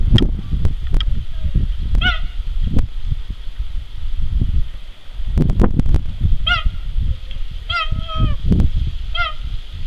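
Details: Captive male cheetah at La Boissière du Doré zoo, recorded 21 September 2014; short, high, bird-like chirps with clear harmonics come singly and in pairs, over heavy low rumbling wind or handling noise.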